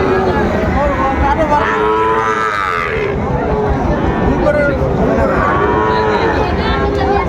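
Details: Sahiwal bull calves at a livestock market in Bagerhat, Bangladesh, on 14 November 2024. Loud, drawn-out moos with arching tones near two, four and a half and six seconds rise over steady crowd chatter and bargaining voices.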